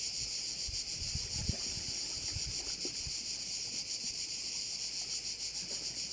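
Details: Crickets heard over a bay in Korčula, shrill pulsing buzz repeated about three times each second, mixed with scattered low thuds and gentle wind noise.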